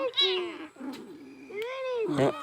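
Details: Cat with a fishbone stuck in its mouth, held while people work the bone out without surgery; arched, rising-then-falling meows overlap with men's voices talking close by.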